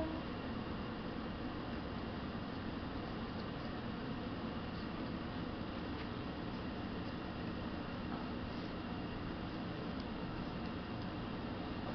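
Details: A steady low mechanical rumble and hiss, like distant traffic or a train, fills the room throughout, with no animal calls.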